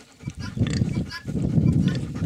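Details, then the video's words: Hungarian Mangalica sow with suckling piglets, giving low, rough grunts in short bursts, a soft one early and then a denser run of pulsed grunts through the second half, with faint farmyard noises above. "Свиноматка Венгерской мангалицы с сосунками!"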